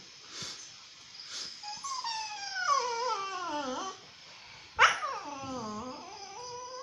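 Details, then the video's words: Tinka, a dog at Phuket Dog Resort, complaining: long drawn-out whining howls that slide downward in pitch over about two seconds, then a sharp yelp rising into another falling, wavering whine, with faint soft yips at the start. "TINKA complaining"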